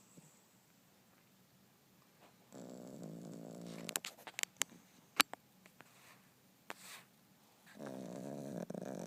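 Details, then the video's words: Yorkshire Terrier dozing on a couch: two bouts of buzzy, rattling snores, one early and one closing out the stretch, with sharp clicking and tapping noises in between. "dog snoring"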